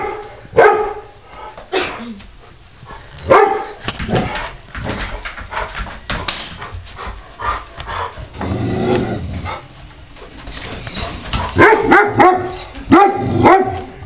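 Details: Dog Taz barks in a string of sharp, spaced bursts at Sky the cat in their usual daily fight. Higher yips and whimpering whines are mixed in near the end.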